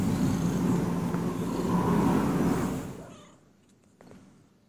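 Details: Domestic cat purring close up: a dense, steady low rumble for about three seconds, then fading away to near silence with a few faint clicks.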